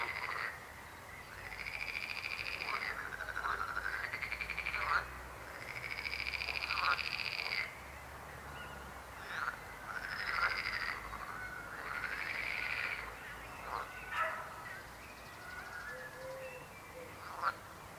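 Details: Frogs croaking in rhythmic buzzy bursts lasting one to three seconds, with pauses between them, tapering into scattered short croaks and clicks toward the end.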